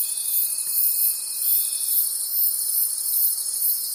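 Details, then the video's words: Forest crickets at night give a continuous shrill pulsing chorus. A faint steady tone sounds during the first two seconds and then falls away, leaving only the chirping. "Cricket Conversations at Night"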